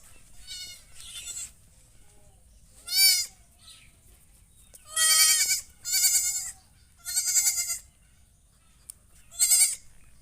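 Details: Goat giving a run of loud, nasal, trembling bleats, about seven calls at irregular intervals with short gaps between them; a few softer bleats early on and a low background hum.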